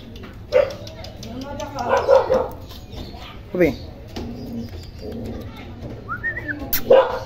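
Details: Toy poodle named Kopi, a stud dog in Quezon City: a few short, sharp barks spaced a few seconds apart, mixed with people talking nearby.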